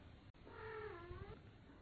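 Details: Kittens fighting, tumbling together while the parent cats look on: one drawn-out meow with stacked harmonics, holding level then dipping slightly, about a second long, over a low background rumble.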